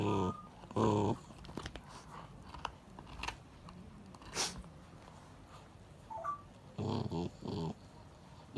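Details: Several Akita dogs indoors quarrel over a turtle bone that was meant for the mother, who wins as the others back off; short harsh snarling bursts open and close the moment, with crunching and scuffling in between.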